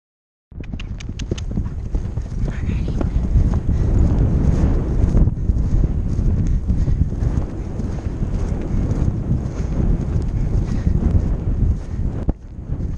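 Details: Percheron mare galloping on a Novice cross-country course at the Horse Park of New Jersey Horse Trials, recorded by the rider's helmet camera: fast, uneven thudding hoofbeats, roughly two per second, under constant heavy wind rumble.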